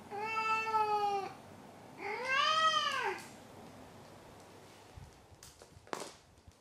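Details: Maru the house cat meowing after catching a toy, his usual habit before turning over on his back, seemingly proud. Two long, bowed, harmonic-rich meows a second apart, followed by quiet room noise and a few faint clicks.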